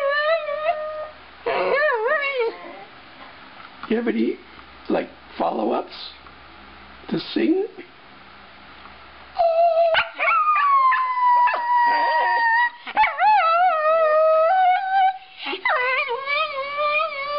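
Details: Male Shetland sheepdog indoors howling along to playback of his own singing recording; long wavering tonal howls that slide up and down, broken into separate phrases, with shorter yelps between them and a clear second voice of the playback.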